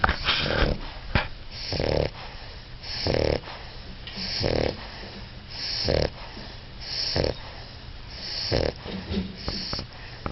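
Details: Four-month-old English Bulldog puppy asleep and snoring: rough, breathy snores in short bursts roughly every 1.3 seconds, with steady low hum and quiet gaps between breaths.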